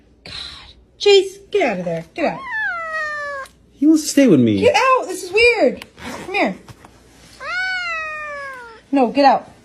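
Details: Domestic cat from a compilation of funny pet moments, giving a run of drawn-out meows, several rising then falling, some short and clipped, with brief quiet gaps between calls and other faint sounds in the background.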